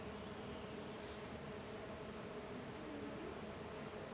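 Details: Small golden jatai stingless bees, Tetragonisca angustula, in intense activity outside their hive; a steady, dense, low buzzing hum holds evenly throughout with no breaks.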